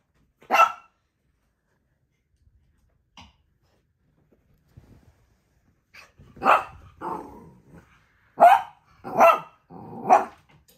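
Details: Dog playing with its owner: a single sharp bark, a long pause, then a cluster of loud barks, some with short growly tails.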